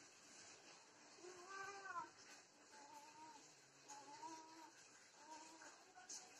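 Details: Domestic cats, desi and Persian, in a mating encounter give quiet, low wavering yowls repeated over a steady hiss, with one slightly louder rising cry early on.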